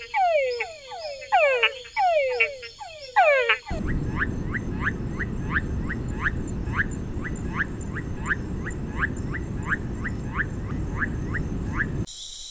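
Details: Túngara frogs calling: rapid overlapping descending whines from several callers, then a steady run of short rising notes about twice a second over a loud hissing background.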